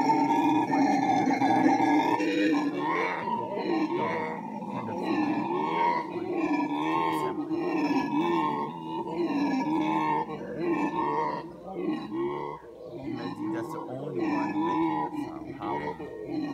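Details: Howler monkey vocalising: a long, droning roar with strong steady layered tones that waver and pulse throughout, swelling and easing in loudness, with a brief dip around the twelfth second.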